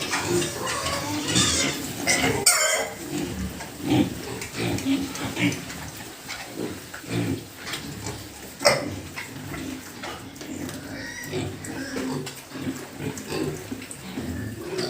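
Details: Pigs on a pig farm, low grunts and snorts coming in short bursts, mixed with metallic clattering, scraping and a few human voices in the background.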